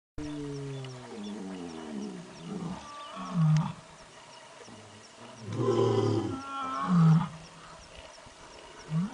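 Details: A tiger at close range gives deep, rumbling roars and growls that rise and fall in heavy bursts.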